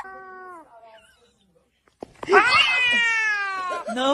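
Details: Cat meowing indoors: a short falling harmonic meow, a brief silence, then a long drawn-out wailing meow that bends upward and holds steady for over a second before trailing off.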